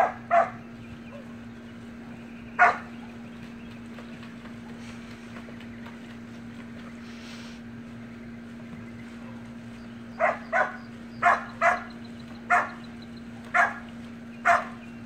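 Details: Samoyed puppies at play in a pool: a few scattered yaps early, a long lull, then a run of about eight short, evenly spaced puppy barks, over a low hum.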